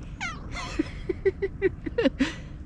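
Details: Head-tilting cat giving a string of brief, clipped little meows at an even pace, mixed with a person calling "hey" in a soft voice at the start.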